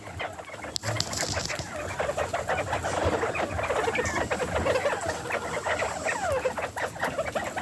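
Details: Farm-kept bobwhite quail, several birds, making their happy sound while eating spring mix lettuce: a dense, overlapping chatter of soft short chirps and clucks, some rising or falling, running continuously throughout.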